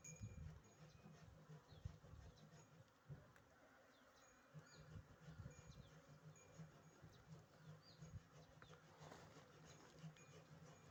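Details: Western honey bees (Apis mellifera) buzz steadily at close range, a low droning wing hum that swells and fades as they pass.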